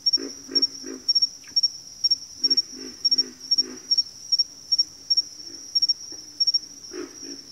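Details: Backwater frog chorus: deep, throaty grunting croaks in quick bursts of two to four, repeated every second or so, over a steady high-pitched insect trill pulsing throughout.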